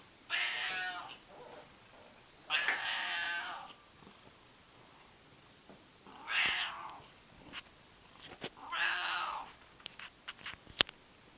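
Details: A seal point Siamese cat gives four loud, drawn-out, rasping meows with pauses of a few seconds between them.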